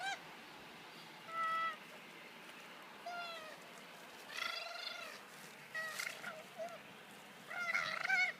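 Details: Two male koalas fighting on the ground at a wildlife sanctuary, rolling about rough-and-tumble, give harsh, wavering, cat-like squeals and wails in five short bursts over eight seconds, against a steady faint hiss.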